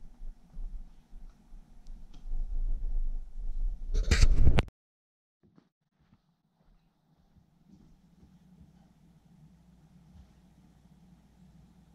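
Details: Low indoor hum with scattered soft knocks, a loud rustling burst at about four seconds, then near silence with faint low rumbling.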